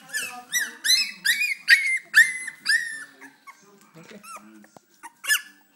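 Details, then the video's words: Four-week-old Cocker Spaniel puppies cry in a run of high, wavering whines and squeaks. "Cocker Spaniel puppies crying"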